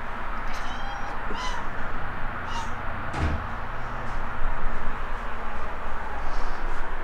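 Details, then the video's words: Alex, a pet cat, gives a few short meows amid steady low background hum; a person's voice calls his name nearby. "Speaking cat"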